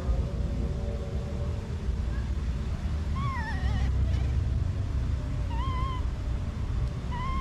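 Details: Baby monkey crying after being separated from its mother: a few thin, wavering, warbling cries with bending pitch at three to four seconds and again near six and seven seconds, over a steady low background rumble.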